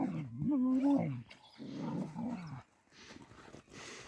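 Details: Mother dog in a village defending her puppy from attacking dogs; a low, rough growling howl wavering around the lower register for about a second, then a second shorter growl, with faint noise after.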